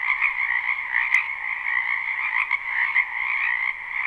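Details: A spring wetland full of croaking frogs, captured live: a thick, continuous chorus of trilled calls with a few sharp clicks, steady throughout the short stretch.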